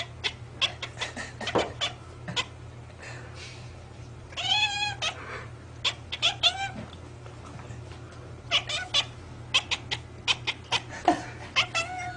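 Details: Domestic cat 'talking': a run of sharp, dry clicks scattered through the recording, broken midway by one short, wavering, tonal meow, with low steady hum underneath.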